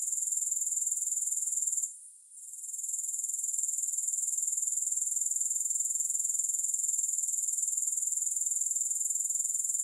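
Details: Grasshoppers in a steady, high-pitched shimmering trill with fine rapid pulsing, briefly dropping out near two seconds before resuming at full strength; no music or other sounds.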